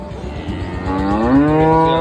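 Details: Cow kept with her female calf, lowing once: a low moo rising gently in pitch and holding steady for about a second, over a murmuring background with nearby men talking in Kannada.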